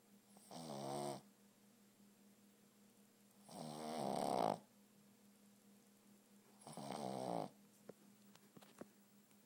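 A Boston terrier snores in slow, rasping breaths roughly every three seconds.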